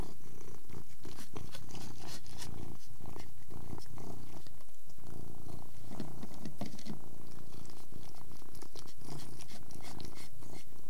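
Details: Persian cat purring while eating: a steady low rumbling purr runs throughout, broken by soft scattered clicks and smacking sounds of chewing and licking close to the microphone.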